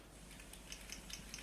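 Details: Sperm whale (Physeter macrocephalus) coda from the Galapagos, a distinctive coda type made only by certain social groups: sharp, dry clicks in an even series, about a fifth of a second apart.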